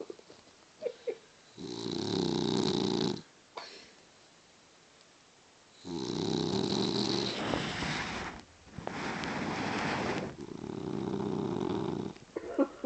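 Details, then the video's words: Sleeping Boston Terrier giving loud, raspy snores lasting one to two seconds each, with brief silent gaps between breaths and faint small clicks in between. "Snoring Boston terrier"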